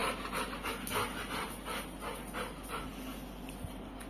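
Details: Kulfie, a pet Labrador Retriever, panting in quick, soft, breathy pulses about three times a second, fairly steady, after a person has chanted "food" over and over; low household background hum.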